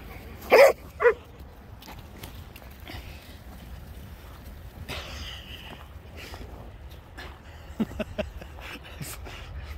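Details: Dog from a German shepherd and Presa Canario meeting with mother and puppies gives two quick, loud barks in close succession, then quieter scuffling and faint voices.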